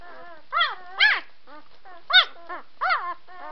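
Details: White Swiss Shepherd puppies giving short, high, arching whines and yelps, about five separate calls spaced roughly half a second apart, each rising then falling in pitch, with quiet pauses between.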